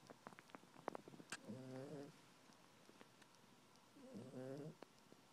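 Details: A female Maltese poodle dozes on the couch, cuddled in a blanket, giving two buzzy, harmonic snores about two and a half seconds apart, with light rustling and small clicks before the first.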